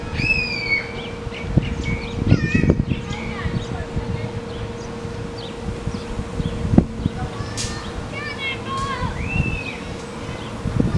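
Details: Meerkats at Lion Park, Chartwell, Africa, give short, high chirps and squeaky upswept peeps over a steady mechanical hum.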